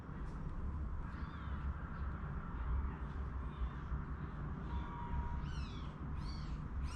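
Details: One-day-old newborn kittens, brought indoors with their mother before a snowstorm, give three thin, arching mews near the end after a stretch of steady low rumbling background noise.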